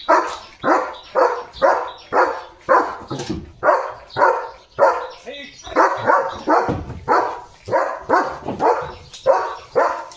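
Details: Leo, a German Shepherd, barks loudly at cattle going past the gate in the morning; steady rapid barks nearly two per second, with a person talking briefly in the background.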